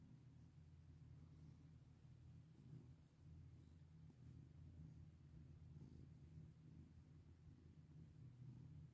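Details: Pet cat being stroked, purring continuously in a deep, even rumble that swells slightly in rhythm with its breathing.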